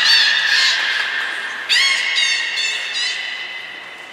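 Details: Belugas named Nana, Mirai and Niko training at Nagoya Port Aquarium, January 2021: a harsh, buzzy squeal followed by a rapid rattle of pulsed, creaky bursts, then fading.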